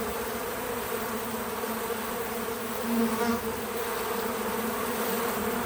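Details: Bees visiting a feeder outdoors on a small farm, buzzing steadily in a low droning hum that swells briefly as one passes close.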